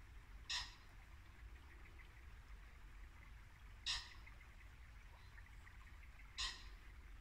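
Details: Muntjac deer barking at dusk in Norfolk woodland in late winter: three short, sharp, harsh barks spaced about three seconds apart over the steady rushing hiss of a babbling brook.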